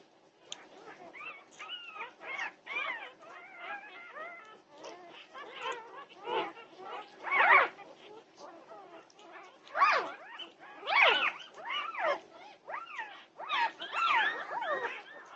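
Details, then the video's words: Norwegian Buhund puppies at 2:30 at night, June 8, 2021, in a noisy pandemonium: overlapping high whines, yips and squeals arching up and down, coming in uneven bursts with louder outbursts near the end. "Puppy Pandemonium at 2:30am! Norwegian Buhund Puppies"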